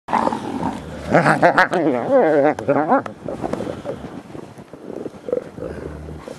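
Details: Captive ambassador gray wolves at the International Wolf Center, excited by fresh snow on 24 December 2008, give loud wavering, harmonic whines and yowls for about two seconds, rising and falling rapidly, amid rustling and softer grumbles.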